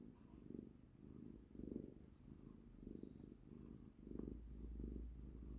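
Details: Pet cat content in a person's embrace, purring with a deep rhythmic rumble that rises and falls in regular breaths, a brief faint high whistle heard partway through.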